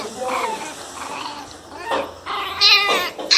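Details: Pinscher puppies, described as fierce and angry, giving high, shrill yelping barks in short separate bursts, some rising sharply, with a few quieter whiny notes between them, heard indoors.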